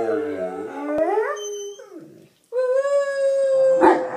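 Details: A pair of pet bullmastiffs sing in response to noises. A howl rises and then holds a level note. After a brief pause a second long, even howl follows, ending with a short sharp noise.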